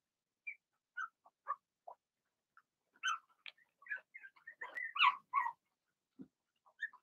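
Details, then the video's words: Blenheim Cavalier King Charles Spaniel puppies from a litter of six, two girls and four boys born March 7–8, calling in their puppy pen at home: scattered thin yips and whimpers, irregular, with a denser burst of overlapping cries midway. "Cavalier Puppies Bark, Howl"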